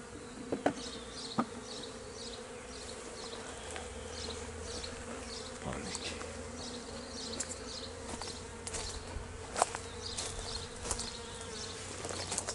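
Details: Swarm of honey bees outside their hive on 26 May 2023 while a keeper tries to return them: a constant low hum with soft clicks and short bright buzzes from bees flying near.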